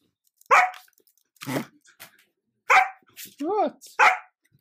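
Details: Sheepadoodle puppy, a female Old English Sheepdog and Standard Poodle cross, barking for attention while closing a laptop. Three sharp, bright barks about a second apart, with a person's short spoken words and a rising whine-like vocal between them.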